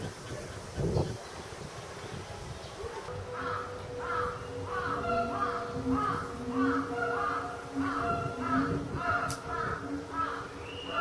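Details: A Müller's Bornean gibbon swinging around its enclosure at Higashiyama Zoo in May 2010 gives a quick series of short, wavering hoots over a steady background hum.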